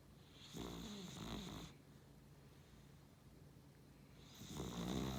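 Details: A Beagle–Cavalier mix snores in its sleep. Two rough, throaty snores are heard, the second building louder toward the end, separated by a few seconds of soft, hushed breathing.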